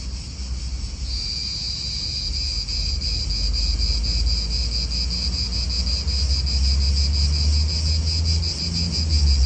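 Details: Cicadas in an Italian park: a high, pulsing buzz swells in about a second in and holds steady, throbbing rapidly, over a low rumble of wind and distant traffic.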